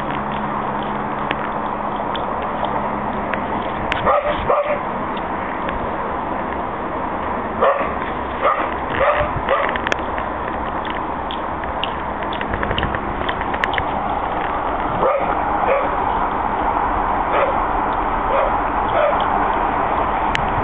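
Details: Two pet dogs, Alex and Benny, chasing each other in a back yard, happy after a good walk; short yips and barks come in clusters between four and ten seconds and again later, over a steady loud rumbling background noise.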